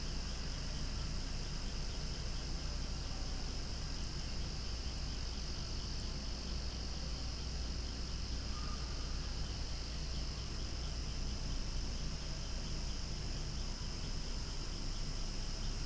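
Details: Loud cicada chorus near swaying flowers: a continuous high, buzzing drone with gentle rhythmic pulsing, a brief thin whistle near the middle, and a low steady rumble underneath.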